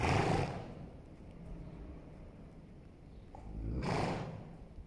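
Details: Two heavy, breathy snorts, one at the start and one about four seconds later, from a Holsteiner horse while it rolls, with a low rumbling murmur between them.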